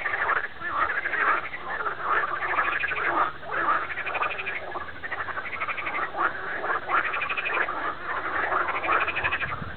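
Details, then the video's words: Many frogs calling together in a steady chorus, rapid pulsed croaks overlapping into a constant churring wall of sound, with brief louder bursts every second or so. "Concert de grenouilles"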